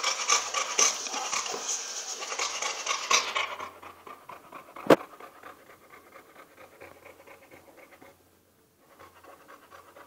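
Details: Two-day-old Boxer puppies: rapid, breathy panting-like sounds repeated about four times a second for the first few seconds, then fading to quieter, softer breathing, with a single sharp click midway.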